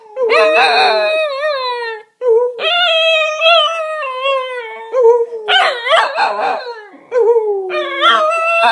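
Cocker Spaniels howl in long, wavering, tuneful notes that slide up and down, with brief pauses between.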